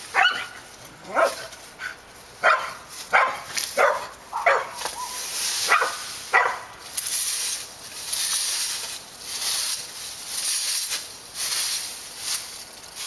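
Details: Dogs barking at Park Drive, a string of short barks about one a second for the first seven seconds, then fading under loud rushing broadband noise.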